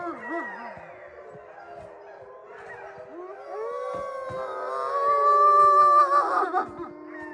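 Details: Wolfdogs at Wolfdog Forest, a snowy enclosure in Hokkaido, Japan, howl in chorus; wavering low howls build into several long rising and sustained tones that overlap, growing louder toward the end.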